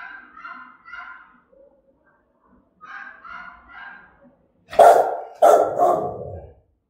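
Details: German-type Rottweiler in Vietnam with a threatening bark: softer, nasal, tonal calls early, then two loud, hoarse barks about half a second apart near the end.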